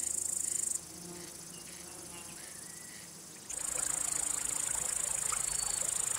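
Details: Male cricket's song, produced by rubbing the wings, used to attract or court females or to drive away other males: a high, pulsing shrill trill that stops for about three seconds, then resumes. Faint softer sounds fill the gap.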